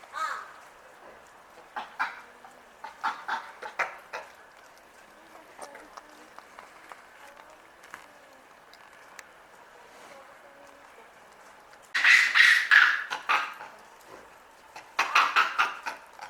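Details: Loud screaming from captive Japanese macaques at Asahiyama Zoo, Hokkaido. Sparse short cries and clicks come first, then two strong bursts of harsh, piercing shrieks toward the end.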